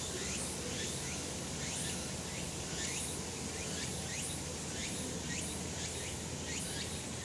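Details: Sunlit summer mountainside full of cicadas: an unbroken high buzzing wash, with short rising chirps repeating every second or so on top.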